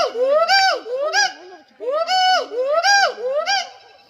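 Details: At Sepahijala zoo, a gibbon gives loud, rising-and-falling hoots in a quick, rhythmic series.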